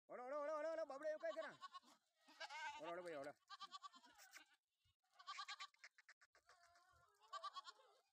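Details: Sojat bucks on a goat farm in Indve, Sakri taluka, Dhule district, being raised for next Eid; a loud, wavering, harmonic bleat fills the first second and a half, followed by shorter broken bleats, with a man talking nearby.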